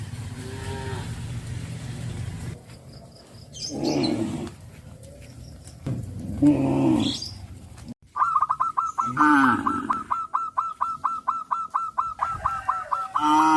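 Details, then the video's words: Cattle in the countryside, calling to their companions while being led along the road to green pastures; several low, drawn-out harmonic moos in the first seven seconds, then a rapid train of repeated higher honking notes. "The sound of cows calling their friends on the road to the green pastures"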